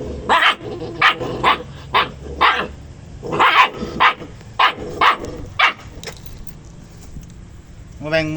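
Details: Dogs barking over a chicken bone, sounding as if fighting: a run of about eleven sharp barks roughly every half second, then a pause, a person's voice mixed in.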